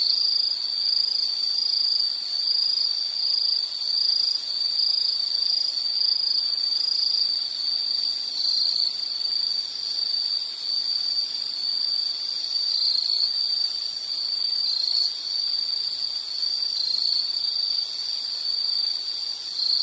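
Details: Insects keep up a high, buzzy trilling chorus, with a few slight upward-wavering chirps breaking through over the steady drone and faint low murmur in the background.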